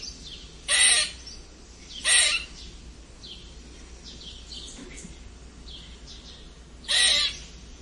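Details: Harsh squeaks of a red squirrel: three loud, scratchy squeals, two about a second apart, then a long pause before the third, with soft high bird chirps filling the gaps.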